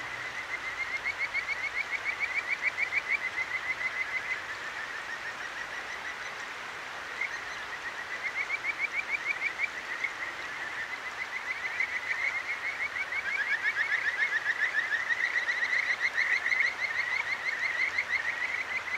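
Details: Kajika frogs at night on a mountain stream in Akigawa Valley, Tokyo, recorded with a Zoom H6; fast trilled chirp sequences come and go from more than one caller over loud rushing water.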